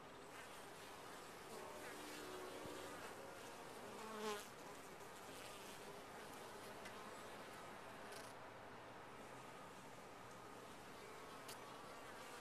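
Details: Honey bees in a top-bar hive, a steady, dense, low droning hum from the colony, with a brief louder buzz near the middle as one bee passes close.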